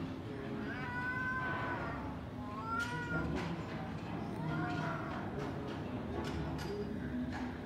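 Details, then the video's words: Stray cats in a heated street quarrel: a series of long wavering yowls, each a few seconds apart, with a brief sharp click between them and steady low traffic-like rumble beneath. "길냥이 울음소리 / 고양이 말다툼 생중계"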